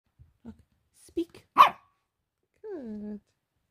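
A Pekingese puppy gives a soft, breathy whisper bark after a person's spoken cues.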